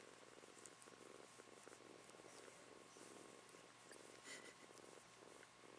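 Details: Close, soft purring from a young female house kitten: an even, throaty rumble rising and falling with each breath roughly every half second, sustained throughout over quiet indoor background hiss.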